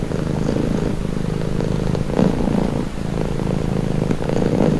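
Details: Cat purring steadily and closely, a low continuous rumble with slight pulsing and no pauses.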